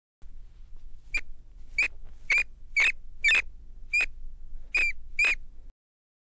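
A rat gives about nine short, sharp squeaks in five seconds, spaced unevenly, over a faint low hum and a thin steady high whine.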